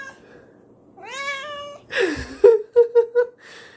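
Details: Excited house cat reacting to spraying canned whipped cream in the kitchen: one drawn-out rising meow, a hiss of spray, then a quick series of four short clipped mews.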